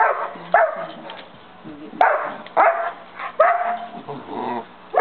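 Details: Dozer, a St. Bernard puppy of five and a half months, barks loudly at his companion dog Simba to start play; five sharp, harsh barks come in an irregular run about a second apart, with soft whining between.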